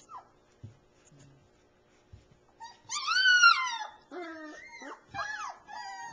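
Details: Three-week-old Alaskan Malamute puppies in southeast Iowa, filmed in late 2009, give a few faint early squeaks, then a loud rising-falling whine followed by a burst of quick wavering yelps and whimpers from several pups.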